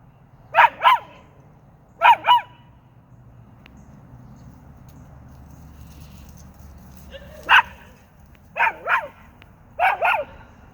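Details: A dog howling: short paired yelping howls with wavering tones, bursts at roughly two-second spacing with a pause midway, over a low steady background hum.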